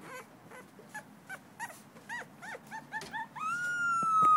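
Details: Davy, a two-week-old male blue-nosed American Pit Bull Terrier puppy, recorded 21 December 2011, makes soft, rapid squeaky whimpers for about three seconds, then a loud, steady high-pitched tone takes over.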